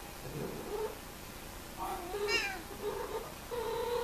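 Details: During mating, cats trade a string of short, whining yowls and meows, some bending upward, one climbing into a higher wail mid-sequence, ending on a sustained nasal moan.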